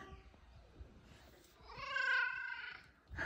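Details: F2 Savannah cats, two pets indoors, greeting their owner home from work; a rising then level harmonic meow near the end, with a woman speaking softly before it and low purring underneath.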